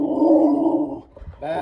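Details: Bonnie, a bulldog, reacting to someone passing by: a sustained, grumbling low vocalization held for about a second, then a short pause with faint rustling before another brief rumble begins.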